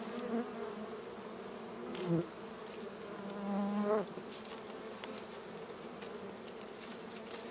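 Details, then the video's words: Honey bees at a wild hive being smoked out with fire for honey collection give a continuous droning buzz, swelling louder twice, with brief tonal squeaks and light tapping sounds mixed in. "Harvesting Honey Bee"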